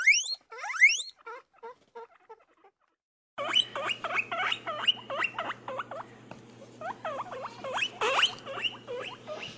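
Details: Two rising whistled wheeks from a guinea pig, then soft chirps and, after a silence, a series of quick looping squeaks over a steady low electrical hum.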